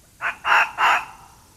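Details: Fox screaming at night in the woods while running toward a trail camera: three harsh, hoarse screams in quick succession, the first short and the next two longer and louder, over quiet background.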